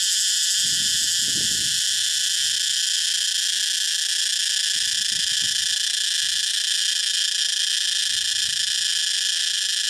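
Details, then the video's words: Cicadas in a Thai jungle fill the air with a steady, high, hissing drone that never breaks; only the males produce this loud song. "Thai Jungle Sounds - Cicada"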